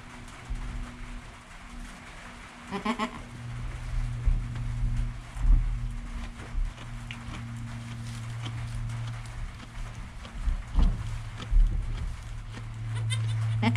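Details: Joel, a goat kid less than an hour old, with mother Penny calm alongside, filmed on a GoPro; a single brief wavering bleat early on, then a constant low hum with occasional bumps and shuffling.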